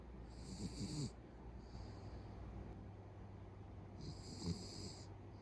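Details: Pet Beagle fast asleep, snoring that escalates like a middle-aged man's; two strong hissing snores with a softer breath between, low steady hum underneath.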